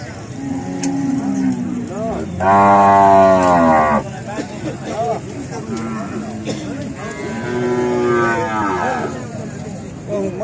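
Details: Cattle during natural mating between a cow, a bull and a buffalo; loud, drawn-out lowing moos with strong harmonics, one long bellow mid-way and another rising moo later, with background voices and engine noise.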